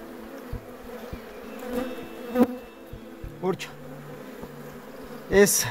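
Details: Honey bees at an apiary during artificial queen rearing and colony breeding, a steady low droning hum with a layered tone, broken by brief short human voice sounds and faint clicks.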